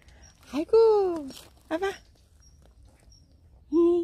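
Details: Affectionate stray cat at a workplace begging for pets: a drawn-out falling meow, short broken mews, and a final meow starting at the end, mixed with faint human voices.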